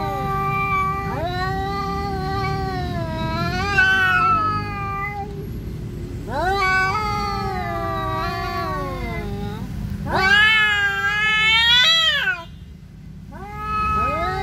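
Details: Siamese cat angrily confronting an orange cat that won't leave its territory; repeated wailing yowls, each bending upward then falling, growing shriller and louder toward the end before a short silence.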